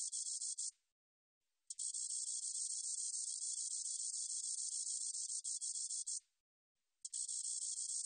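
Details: Spotted meadow katydid singing, recorded by the National Institute of Biological Resources in 2020. A brief burst of shrill ticking buzz is followed by a one-second pause, then a long four-and-a-half-second buzz, another pause, and a fresh start.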